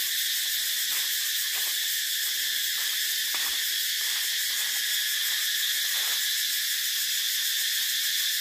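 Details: Shrill cicada droning fills the whole stretch, a constant high sizzle. Short irregular clicks and taps appear in the first six seconds, then only the steady buzz remains.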